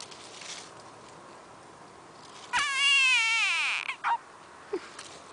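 A frog gives a single squeaky, nasal cry lasting over a second, sliding downward at the end.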